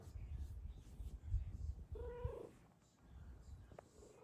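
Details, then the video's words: Happy female cat settled on top of her sleeping owner purrs in a steady low rumble, breaking into one short, soft meow partway through. "Kitty meows in joy while ON her sleeping hooman!"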